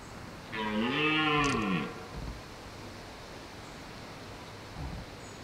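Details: One deep, rough roar lasting just over a second from a wild red deer stag holding hinds in woodland in the rut, followed by quiet background.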